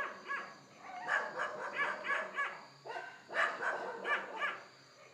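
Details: Wild hog of India under low light, captured with a Canon Handycam: short, nasal, tonal squeals in two clusters of four or five notes, separated by a brief gap.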